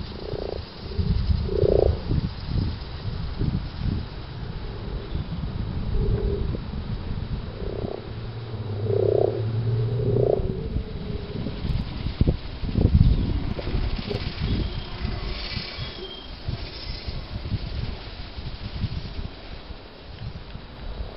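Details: Several common frogs at a permaculture site in Towneley Park, Burnley, Lancashire, in March 2010, croak together. Each call is a soft, low, purring grunt repeated in quick, irregular bursts over a steady low rumble.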